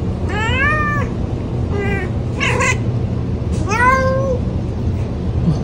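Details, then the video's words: Pet cat meowing four times, clear rising-falling meows about a second apart, the last one long and trailing off, with a continuous low hum in the background. "Relaxing Cat Sounds"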